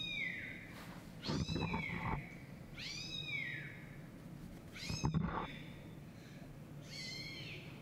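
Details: A kitten's meows sounding from a laptop as Siamese-tabby kitten Chai searches and moves around it: four to five descending meows spread over several seconds, mixed with low thuds and a sharp knock.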